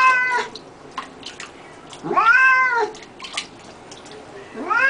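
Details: Pet cat calling out during a bath, giving loud rising-then-falling meows, two clear ones about two seconds apart plus a fainter one at the start, with clatter and splashes between.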